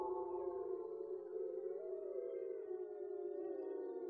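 Several wolves howl together in long, overlapping, wavering tones that slide gently up and down.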